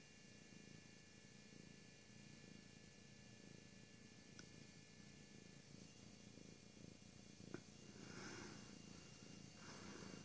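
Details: Siamese cat purring steadily, a low continuous rumbling pulse throughout, with a faint hiss of background noise and a brief soft click or two.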